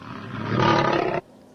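A lion gives one loud, rough roar lasting just over a second, swelling then cutting off abruptly, with nothing else heard.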